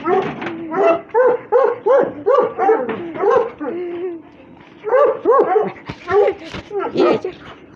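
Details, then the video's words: Playful fighting among Russian Hounds brings dense, overlapping yelps and short whimpering cries, a quieter gap midway, then renewed bursts of excited high calls. "РУССКИЙ ГОНЩИЙ СВИСТ, СКУЛИТ+СОБАКИ ДРАКА ИГРАЮТ"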